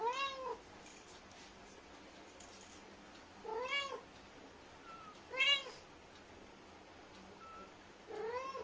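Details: Lilly, a talkative Indian street cat, mother of kittens, talking to her young indoors: four short harmonic meows, rising then falling, spaced about two seconds apart, with a few faint higher squeaks between them in a quiet room.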